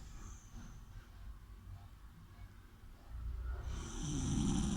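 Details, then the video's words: Sleeping dog gives steady low breathing that swells into a strong rasping, rattling snore over the last second and a half. "snoring dog"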